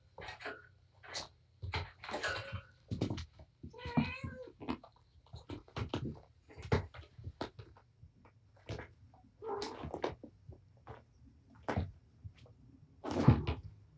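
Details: Mother cat Patience, wound up and playing with her litter of five kittens in an already messy room, gives a few wavering, harmonic meows between frequent knocks, taps and rustling from the romping animals.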